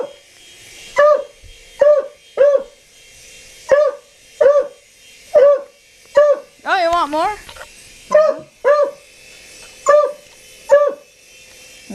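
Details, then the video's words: A dog barks at a helicopter, its short, clipped barks repeating at a fairly regular pace, broken once by a longer, wavering whine-like yelp midway through. "Dog Barks 4 Helicopter"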